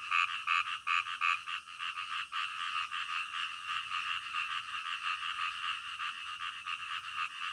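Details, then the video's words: Frogs croaking at night, opening with a few sharp, ringing notes before settling into a dense, steady chorus of rapid raspy pulses that blur together into a continuous throb. "SUARA KODOK DITENGAH MALAM"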